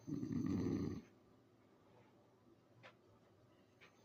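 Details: An English Bulldog asleep gives one deep, rattling snore, then the room goes quiet.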